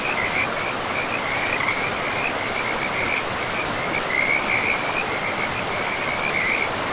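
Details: Frogs calling beside a river in a pristine forest, a near-continuous run of short, rapid, chirping trills at a steady high pitch, overlapping one another over the constant broadband rush of flowing water.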